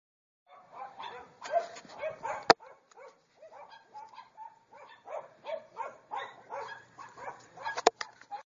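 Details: Pembroke Welsh Corgi puppy giving a run of short, high yips and barks in irregular bursts, with a couple of sharp clicks or knocks between them.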